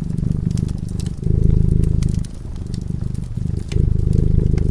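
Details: Cat asleep in front of a crackling fireplace gives a deep, even purr, a low continuous rumble that swells and eases between breaths, with bright snaps of burning wood scattered on top.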